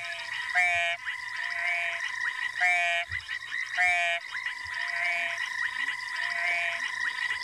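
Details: Ornate frogs give short, buzzy trilled calls every couple of seconds amid a rainy-day chorus with banded rubber frogs, African bullfrogs and tremolo sand frogs at Twin Dams, Djuma private game reserve, South Africa, 21 Feb 2018.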